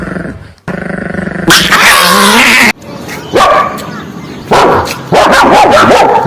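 A dog gives sharp, loud barks mixed with high, wavering whines and yips.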